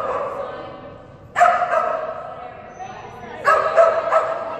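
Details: Female Kerry Blue Terrier Phenix during an agility class on 11/12/2019, trained with a toy reward: two quick clusters of loud, harsh barks about two seconds apart, each trailing a reverberant echo.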